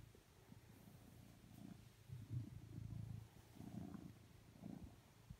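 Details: Coconut, a blue British Shorthair cat, settles next to a person on the sofa asking for cuddles. His soft, low purr comes in short pulsing swells about a second apart, quiet but continuous.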